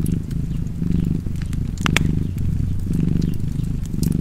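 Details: Close, low cat purr beside a fire, rhythmic rumbling breaths with a couple of loud crackling pops from the fireplace in the middle.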